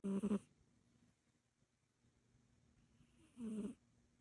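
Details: Egyptian Mau cat asleep, giving a rough, buzzing snore, then a near-silent pause of about three seconds before a second raspy, breathy snore.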